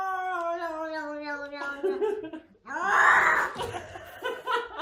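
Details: A cat in a box holds a steady, drawn-out yowl for over a second. Louder human laughter and chatter in a small room then take over.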